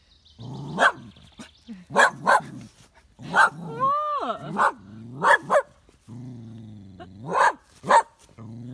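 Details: Gus, a two-year-old partially sighted West Highland White Terrier, barks at his own shadow at home in Tain, Scottish Highlands, on a sunny day. Sharp repeated barks mix with low growls and a rising-falling whine midway, with short pauses between bursts.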